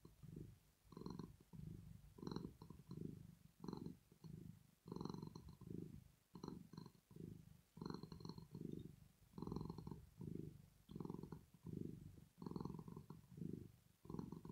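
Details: Domestic cat Rosetta, a female, purring while asleep, a sign of pleasure or relaxation: low rumbling bursts pulse steadily about every 0.7 seconds with breathing, each in-breath and out-breath marked by a swell of vibration.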